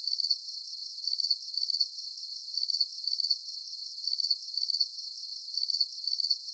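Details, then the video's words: Crickets chirping in a calming sleep soundscape: high, rapid pulsed chirps come in short bursts about twice a second, often in pairs, over a steady faint hiss, with no low sounds at all. "Calming Cricket Sounds"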